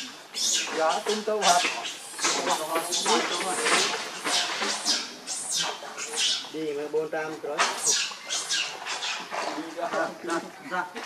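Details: Hungry baby monkey, one of the babies named Leo or Rainbow, crying to its mother for milk: loud, wavering, harmonic wails and squeals, repeated in quick bursts almost without pause, rising and falling in pitch.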